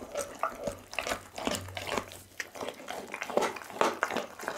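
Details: Indoors, the Pit bull Doggy devours a whole raw chicken before an Insta360 ONE R camera: moist squelching bites mixed with crisp snaps, with a faint low drone underneath for a moment.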